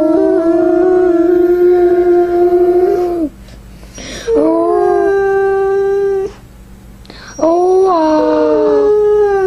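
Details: Samoan husky dog wanting its mom gives three drawn-out indoor howls, each lasting two to three seconds, level then dipping at the end, separated by about a second of near silence.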